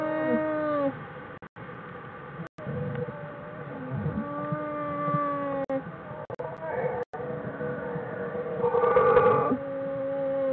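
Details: Bears in a den on January 16, 2013 give long, tonal, humming wails that slide and waver in pitch, perhaps a bear's version of singing.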